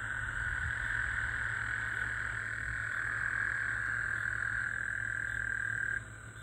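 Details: Gulf Coast toads calling in the middle of the night after recent rain on 24 June 2024: a steady, buzzy high trill holds for about six seconds, then cuts off, leaving a faint background hum.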